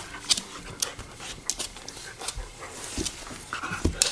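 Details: Bernese Mountain Dogs Chewy and Rocky at play indoors, giving breathy, uneven panting bursts with sharp scuffling and clicking noises scattered across the recording.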